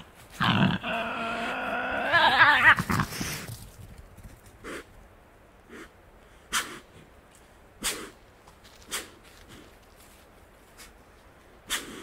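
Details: Wild Tasmanian devil (Sarcophilus harrisii) in the Tasmanian bush, feeding; it gives a harsh, raspy growl lasting a few seconds, followed by scattered sharp clicks.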